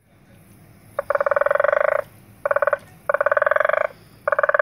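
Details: Frog calling at Zulu Nyala, KwaZulu-Natal, South Africa, in February 2015: rapid pulsed rattling croaks, each burst about a second long, with one short and one longer burst among four, over a quiet background.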